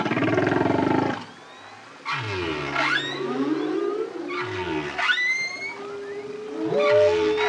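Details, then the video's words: Solo male humpback whale singing: a deep, buzzy pulsed moan, then bubbling low grunts with upswept whoops climbing high, and a long steady tone near the end. "Humpback Whale. Song From Solo Male, Deep, Bubbling And Whooping Phrases"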